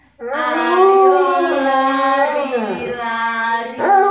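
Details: Pet Alaskan Malamute indoors, howling as a backing vocalist while its owners sing: one sustained, richly harmonic howl that swells, holds, then dips and falls before a short rising note at the end.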